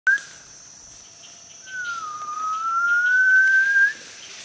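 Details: Wild gibbon in Khao Yai National Park, Thailand: a brief upslurred note, then a long pure whistled note that dips slightly and climbs slowly for about two seconds before stopping abruptly, over a steady high-pitched background hum.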